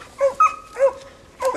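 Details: English coonhound pup training near a raccoon hung in a tree, an older dog that treed it calling in the background; three short yelping barks with a thin whine between them, about half a second apart.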